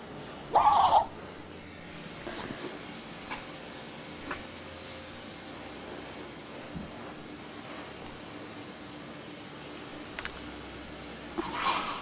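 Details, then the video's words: Toy poodle sneezing indoors after playing with a centipede: one loud, sharp burst in the first second, then a quiet room with faint scattered clicks, and a second shorter burst at the very end. "Toy poodle sneezing after playing with centipede"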